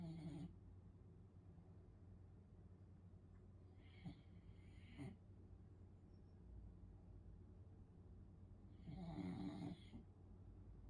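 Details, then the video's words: Sleeping French Bulldog snoring indoors: three rough, buzzy snores with a low hum, at the start, near four to five seconds and near nine to ten seconds, separated by quiet breathing. "He Snores"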